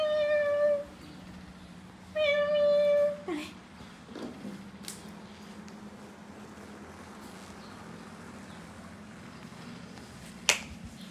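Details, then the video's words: A baby monkey named Dori screams with a wide-open mouth while her mother leaves her alone; two long harmonic wails, then a brief cry and a softer low drone with faint background noise. "Baby Dori smart monkey Big mouth screaming while mom lets her be alone"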